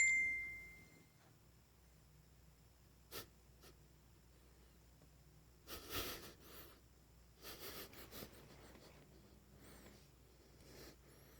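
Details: A pit bull puppy gives short, breathy snorts and wheezy huffs at uneven intervals in a quiet room while having a dream in its sleep.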